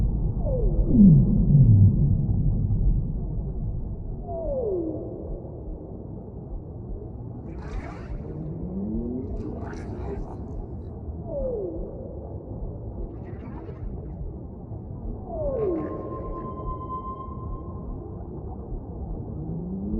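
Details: Whale song of deep, moaning downsweeps sliding from mid to low pitch roughly every three to four seconds, with a few brief higher rising cries and a held tone, over a steady low underwater rumble.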